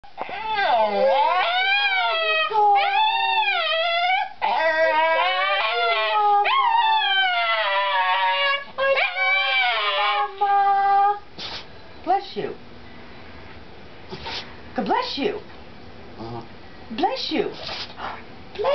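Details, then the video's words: Pet Chihuahua howling and sneezing indoors: long wavering howls that rise and fall for about ten seconds, then short sharp bursts, with a person repeatedly saying "bless you". "Sneezing Chihuahua"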